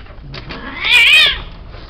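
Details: Male cat kept for mating, uttering one loud, high meow that rises and then falls in an arch over about half a second, preceded by a couple of faint, soft mews.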